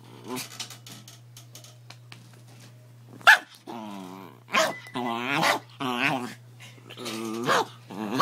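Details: Pet dog being teased by its owner, giving a series of wavering, harmonic growl-like vocalizations in short bursts, some rising and falling in pitch, with a sharp knock near the middle and occasional human speech between them.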